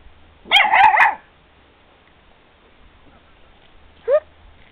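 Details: Basenji puppies nearly eight weeks old, outdoors in very strong wind: a quick cluster of sharp, high yelping barks lasting about half a second, then a single short rising yelp a few seconds later.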